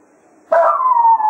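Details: Jack Russell Terrier named Cato at Quail Roost, bidding the foxhunting hounds farewell after the hunt; one sudden, loud, sustained howl holding steady and drifting slightly lower in pitch.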